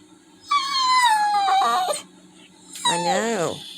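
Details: Sad Labrador retriever, kept in after rain stopped its walk, gives a loud, long, falling whimper. After a pause comes a second, shorter whine that rises and then drops. A low steady hum runs underneath.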